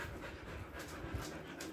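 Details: Siberian Husky in summer heat in Kolkata, India, after a body trim, panting in quick breathy bursts over a steady background hiss.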